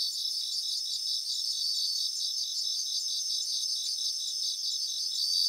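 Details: Chorus of bell crickets singing in Japanese grassland, a dense, even wash of high pulsed chirps and overlapping ringing tones from many insects, with no single singer standing out and no other sounds.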